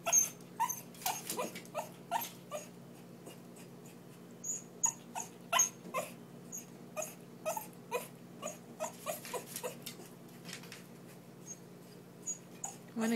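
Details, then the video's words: Persistent begging from a Lhasa Apso wanting to come out: a long run of short, high-pitched whimpers and squeaks, irregularly spaced and sometimes doubled, over faint steady indoor hum. "Lhasa Apso Begs to Come Out"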